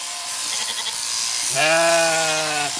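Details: Single long, steady, richly harmonic bleat from Zwartbles sheep in County Kilkenny, Ireland, where late lambs did not recognise their mother after her shearing; faint hiss before it.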